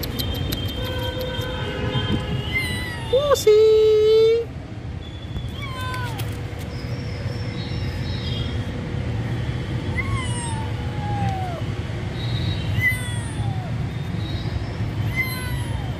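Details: Homeless baby kitten separated from its mother, mewing repeatedly in thin high falling cries, one louder drawn-out wail early on, over steady low background rumble.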